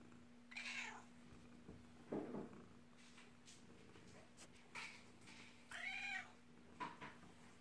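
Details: Adult kitten named Olive meowing in a bathroom, a series of five or six short, separate meows spaced about a second apart, some with a rising-falling arc, against a constant electrical hum.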